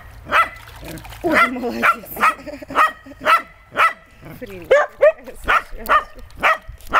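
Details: Dog playing with water gives a run of short, sharp barks about twice a second, each with a ringing harmonic tone; brief Russian speech breaks in near the start and again after four seconds.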